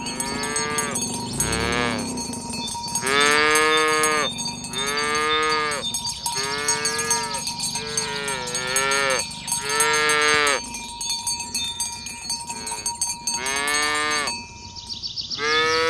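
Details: Herded village cows on a green grassy field, morning, heading to the pen and mooing to call others to gather. About eight moos follow one another, some overlapping, over constant jingling cowbells.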